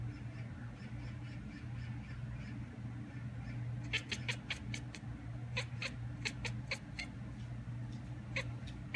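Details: Domestic cat at a window imitating a magpie calling outside; after a quiet start, sharp clicking chatter bursts arrive in quick runs of three to five, over a steady low indoor hum.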